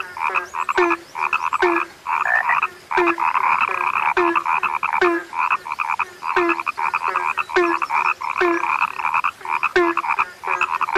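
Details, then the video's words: Frogs calling together, labelled a sound that has become rare: a buzzing, rattling chorus broken into bursts, each punctuated by short low croaks roughly once a second. "SUARA KATAK YANG SUDAH LANGKA"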